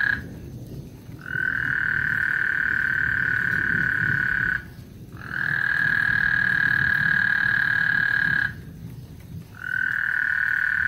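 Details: Lake Houston frogs singing before a thunderstorm, giving long, level trills of three to four seconds each, separated by short silent gaps, the pattern repeating three times over faint low background noise.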